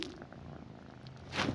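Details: Domestic cat lying beside its owner at night, purring softly with a low steady rumble, then a brief louder breathy burst near the end; quiet indoor room.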